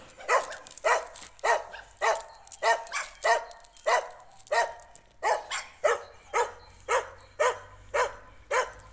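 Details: On a street walk, a Jack Russell Terrier meets a stray dog and barks hard: clipped, forceful barks at a brisk beat, about fifteen over nine seconds, with faint low rumble behind.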